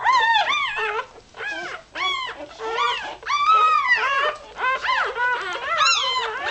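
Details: Irish Terrier puppy only a few hours old, squeaking as it looks for warmth and milk; rapid run of short, arched, whistly squeaks and whines, nearly continuous, with brief gaps between bursts.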